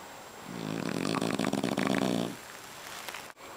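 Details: Boss, a French Bulldog napping inside a kotatsu and snoring loudly while rolling over, gives one long raspy snore of about two seconds, a low pulsed rumble rising and fading, then a quiet indoor room with a faint click.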